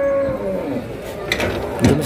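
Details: Cattle tired after a long truck journey, at the Wage cattle market in Pati, Indonesia, where one collapsed on arrival; a short low moo with steady harmonics opens, followed by clapping and a person talking.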